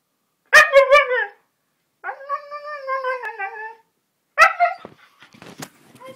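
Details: A 15-month-old Siberian Husky indoors, excited and wanting to go out for a walk, gives three drawn-out, wavering whine-howls, each a second or longer, with short silent gaps between them.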